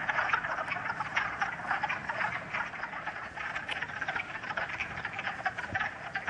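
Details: A dense chorus of many wood frogs at a vernal pool in Uxbridge, Massachusetts, on a sunny late-March day with lingering snow, gives overlapping, hoarse, duck-like clucks rattling on without pause. Finding: Wood frog.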